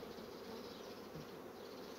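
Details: Honey bee colonies that quickly draw out comb foundation, their buzzing forming a steady, dense hum centred in the low-mid range, even and unbroken throughout, with a faint higher hiss above.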